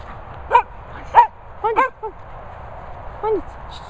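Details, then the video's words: Sprocker Spaniel barking: five short yappy barks with rising-falling harmonic tone over about four seconds, spaced unevenly, against a steady low background hum. "Sprocker Barking"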